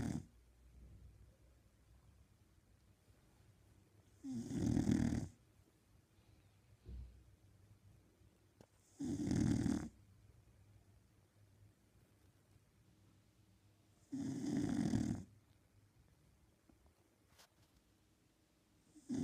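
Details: Sleeping Shar Pei snoring indoors: three loud, rough, broadband snores roughly five seconds apart, each lasting about a second, with quiet breathing between them in a small room.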